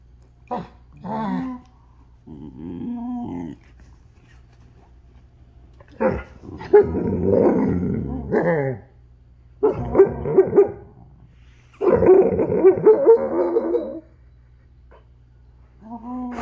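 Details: Alaskan Malamutes talking in rough bursts: short yips, gravelly growling grumbles and warbled howl-like calls, in about six separate outbursts with gaps of quiet between, plus a faint steady low hum.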